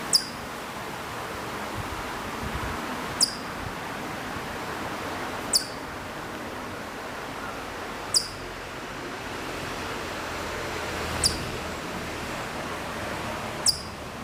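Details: Far-off Hokkaido chipmunk on Maruyama, Sapporo, Hokkaido, recorded September 2014, repeating a single crisp, high-pitched chip six times, about every two and a half seconds, over a quiet hiss of outdoor background.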